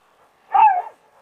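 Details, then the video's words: Sofia, a Rottweiler kept in a yard with other dogs, screams again as if being hurt. A single sharp, tonal yelp lasts under half a second and dips slightly in pitch, with quiet surroundings. "Sofija atkal kliedz tā, it kā kāds viņu nogalinātu."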